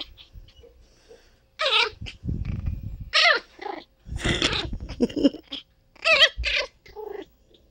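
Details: Princess Esmeralda, a female teacup Chihuahua puppy, gives short whining yelps with bending, wavering pitch. They come in separate bursts with brief quiet gaps between them.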